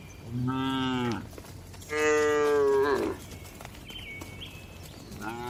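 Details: Cows resting in a spacious livestock farm barn give two loud drawn-out moos of about a second each, rich in harmonics, followed by a brief thin whistle-like sound and the start of another moo.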